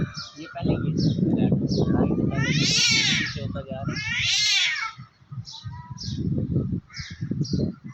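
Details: Two cats threatening each other while perched on a tree, fighting; men chatter at first, then two drawn-out, warbling yowls swell loudly and fade, followed by scattered voices.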